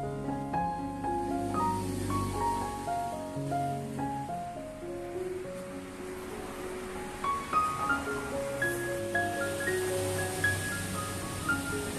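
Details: Soft, steady music with mallet-like melodic notes plays over a gentle wash of background noise, and no animal call stands out.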